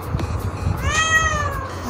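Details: Talking house cat that wants to sleep on its owner's clothes and seeks attention: one drawn-out meow that rises then slowly falls, clear and tonal, over a low background rumble.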